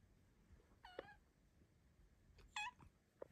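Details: Pet Bengal cat, female, greeting her owner in the morning indoors with tiny, quiet meows: two short harmonic mews, the second a bit brighter and rising-falling, with faint rustles and light clicks between them.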